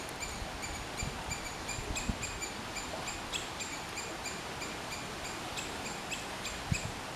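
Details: Squirrel giving a steady run of short, high, sharp chirps, roughly three or four each second, over a constant outdoor hiss with a few soft low thuds.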